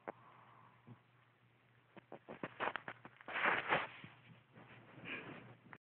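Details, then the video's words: Snoring from a dog asleep, with a harsh, noisy snore in the middle and a softer one shortly after, set among scattered clicks and small rustles in a quiet room. "My dog snoring."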